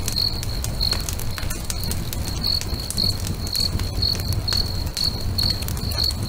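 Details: Crickets singing beside a crackling bonfire at a lake at sunset; a steady high chirp pulses roughly every half second over loud fire crackle and low rumble.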